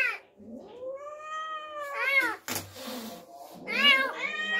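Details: Domestic cat yowling indoors after an unfamiliar kitten was brought into the home; long, drawn-out wavering wails that rise and fall, followed by shorter harsh bursts, with a faint low hum beneath.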